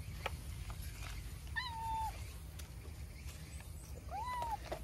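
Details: Stray cat with a milk-tea colored coat, woken from its nap, talks while approaching to be stroked: two clear, drawn-out meows, the second rising then falling, over low outdoor rumble and faint rustling.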